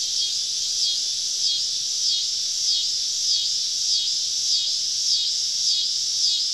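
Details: On a summer evening in southern woods, cicadas surround a campsite: loud, high, droning buzz swelling in regular pulses about every two-thirds of a second.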